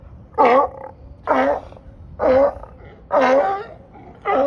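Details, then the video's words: Loud sea lions and seals gathered on a dock in Marina Del Rey, California, calling to each other; five harsh, honking barks with wavering tones, roughly one per second, separated by short quiet gaps. "LOUD SEA LIONS & SEALS"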